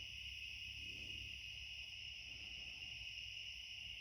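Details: Night chorus of cicadas in a back yard as summer nears its end, a constant high, even buzzing drone with a fainter upper shimmer and a low background hum beneath.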